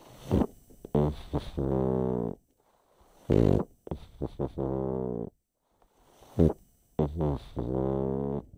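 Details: Chip, a pet pug, snoring while asleep: rough snorting bursts alternate with long, deep, buzzy drawn-out breaths, roughly three breathing cycles repeating every three seconds, no other sounds.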